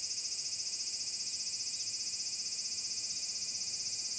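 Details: Summer song of a large brown cicada at Magarikawa, Furuta, Nishinoomote on Tanegashima island, Japan, 30 July 2022. A continuous hissing drone, shrill and frying, throbs rapidly and unbroken for the whole stretch.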